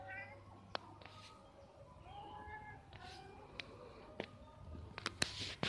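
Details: Cats up a tree during mating, 11 April 2021: several short harmonic wails and yowls, some gliding, broken by sharp clicks and knocks, over a steady low hum.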